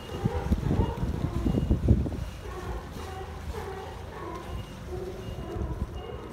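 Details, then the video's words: California sea lions in Monterey harbour, California, USA, on 8 March 2023: a series of hoarse, honking barks follows a burst of loud low rumbling, with a steady background drone of harbour noise. "California Sea Lion, Zalophus californianus"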